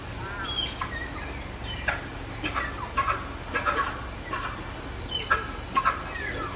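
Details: Excited rainy-season calling by Malayan tapir Rin, Tama Zoological Park, Japan, 16 July 2024: rapid thin squeaks and rising-falling whistled slides, several per second in bursts, over low steady hum.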